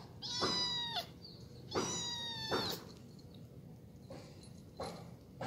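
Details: Domestic cat from a household with two long-tailed grey cats, Gembil and Gembul, and a small orange one; two drawn-out, clear, slightly falling meows about a second each, then soft rustling and faint background hum.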